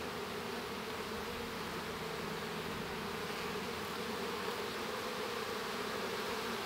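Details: Inside a honey bee hive while a baby bee hatches, an unvarying buzzy hum fills the whole stretch, layered low drones with no other clear sounds.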